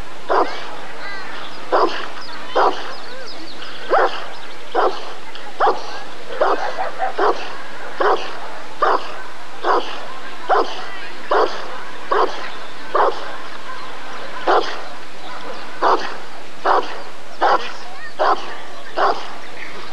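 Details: Long run of steady Rottweiler barks at a 1994 ADRK Körung, the German breed survey: about twenty gruff, evenly spaced woofs, a little over one per second, over a low hum of people talking.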